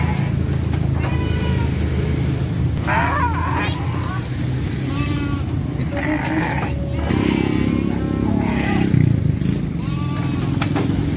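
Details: Three-month-old Garut sheep lambs being shipped to Purwakarta give wavering, harmonic bleats every few seconds over a steady low engine rumble, while people talk close by.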